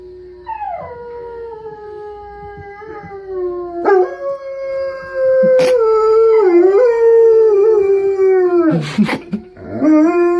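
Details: A dog howls in long sustained tones that slide down from a higher start, with a rich stack of overtones. The voice wavers and bends midway, adds short yipping breaks, and ends in a rough, broken note.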